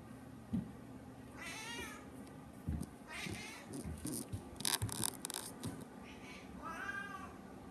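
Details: A hungry cat gives several short meows spaced a second or two apart, mixed with clicks, rustling and handling noises indoors.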